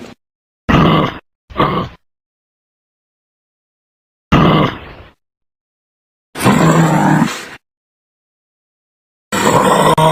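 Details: Kangaroo grunting in clipped, husky bursts: a quick pair, a single grunt, then a longer rasping groan and another starting at the end, with silent gaps between.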